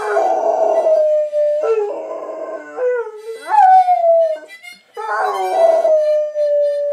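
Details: Airedale terrier singing along to blues harmonica; long wavering howls that slide up and settle into held tones of about a second, repeated several times and interleaved with harmonica notes.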